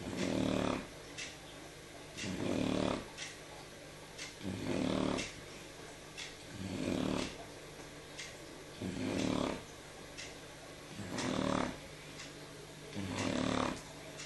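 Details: Shar Pei dog snoring while asleep indoors on the evening of 13 November 2014: rough, rasping snores repeating about every two seconds, seven breaths in all, with quiet gaps between them.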